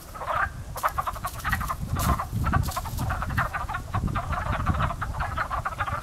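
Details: Frogs in a pond coming to life as spring nears, many callers giving rapid, crow-like clucking croaks that overlap into a dense chorus, with low rumbling background noise.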